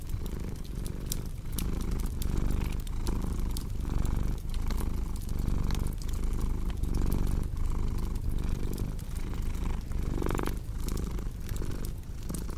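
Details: Purring cat beside a crackling fireplace, the low throbbing rumble pulsing regularly, partly masked by frequent fire pops, with a brief rising sound near the end.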